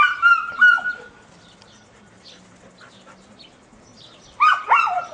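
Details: Dogs, Toro and his friends, playing together at Puppies Park; a few high, harmonic yelping barks open the stretch, then a quiet gap with faint background hum, and another burst of two or three sharp yelps near the end.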